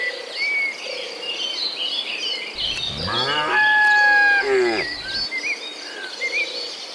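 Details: Dozens of tame cows heading out from their shed along a rain-wet mountain road to grassland: one drawn-out, rich harmonic moo of about two and a half seconds over steady insect hum and scattered bird chirps.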